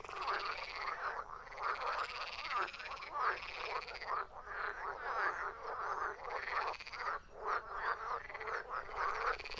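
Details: Frogs croaking as a thick chorus, rhythmic rasping calls repeating rapidly and overlapping without pause.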